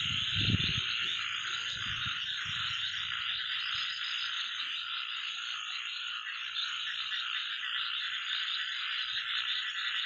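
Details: Frogs of various kinds, including small and big water frogs, calling outdoors at night while fireflies are out. A continuous shrill trilling chorus, with a few low thumps near the start.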